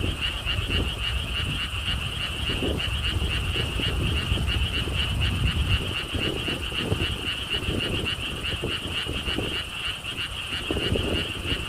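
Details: At a lotus theme park in Siheung, Korea, a frog chorus keeps up a fast, steady train of bright pulsed notes around four per second, partly under wind noise and a low, continuous rumble.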